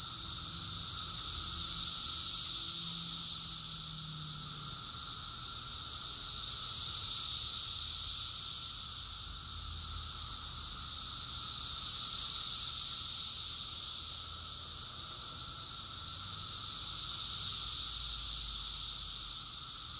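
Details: Cicadas in a summer chorus at Rockville, Maryland, USA, in June 2021: a dense, high, hissing drone that never stops and swells and fades in slow waves about every five seconds, with a faint steady lower hum beneath.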